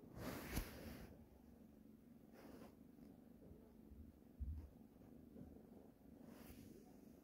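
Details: A cat kneading a blanket keeps up a soft, low purr beneath several sharp broadband bursts of snuffling or rustling near the start, middle and end.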